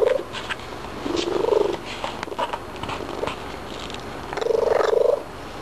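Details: Pet cat vocalising after eating treats, a few short trilling chirps over a quiet purr, with soft clicks and handling noises between the calls.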